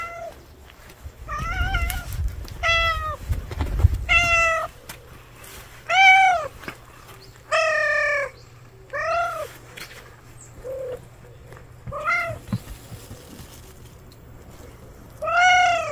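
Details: Street cat family gathered at a meal, giving a string of short arched meows, rising then falling, roughly every one to two seconds, with a low rumbling scuffle near the start.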